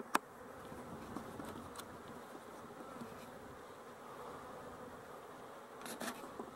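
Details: Steady buzzing drone of honey bees, dated 12-11-23, with a sharp click at the start and a small cluster of taps near the end.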